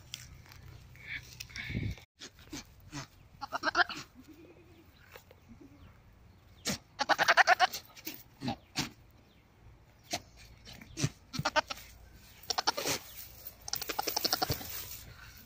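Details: Goat mating calls: several quivering, pulsed bleats, each about a second long, come in bursts a few seconds apart, mixed with sharp clicks, knocks and handling noise between calls.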